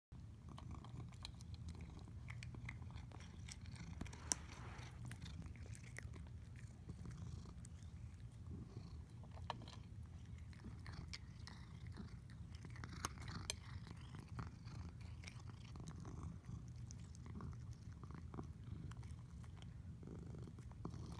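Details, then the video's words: Squishy, a domestic cat, purring while eating: a steady low rumble runs throughout, broken by frequent clicking chewing and biting sounds in a small indoor room. "The Sounds of an Incredibly Satisfied Cat"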